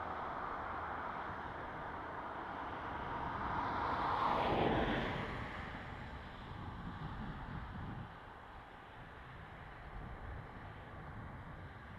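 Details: Steady wind and road noise, with a vehicle passing in the middle and no animal calls.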